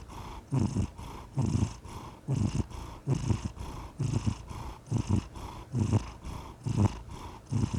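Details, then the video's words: Domestic cat purring steadily, a low rumbling throb in paired pulses roughly every second, each burst swelling with the breath cycle, close and clear with no other sounds. "The Soothing Sound of a Purring Cat"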